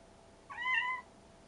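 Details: Rescued stray kitten, one of a sibling pair, gives a single short meow of about half a second, tonal with clear harmonics, in a quiet indoor setting.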